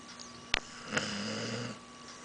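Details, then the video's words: A female dog snoring indoors, one drawn-out rasping snore with a faint tonal hum lasting under a second, preceded by a sharp click. "cute girl dog snores"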